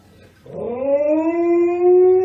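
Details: Pet dog in a funny home compilation lets out a single sustained howl that starts abruptly and glides slowly upward, a smooth, clear tone rich in overtones lasting nearly two seconds.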